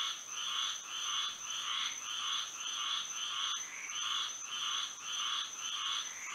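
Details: Frogs chorusing at night in Florida by moonlight, their croaks coming in short groups of rapid bursts with brief lulls between, while a persistent high whine carries on underneath.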